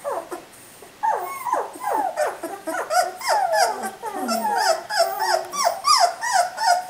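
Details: Whining chorus from three-week-old puppies, dense overlapping downward-sliding squeaks and whimpers from several pups, continuous and irregular, with faint high-pitched noise above.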